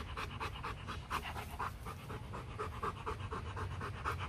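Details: Rottweilers at a Vietnamese kennel during a breeding visit, where a female from Hưng Yên is mated with champion male Loki; fast, breathy panting in short regular bursts, about two per second.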